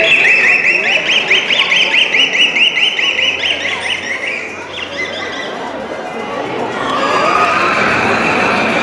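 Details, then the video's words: Captive beluga whales at SeaWorld San Antonio, March 25, 2023, sounding from the blowhole during a live show: a rapid train of buzzy, repeated high pulses for about four seconds, then softer squeaks, with crowd noise and speech underneath. "Vocalizations you're hearing are coming from their blowhole, located on the back of the beluga's head."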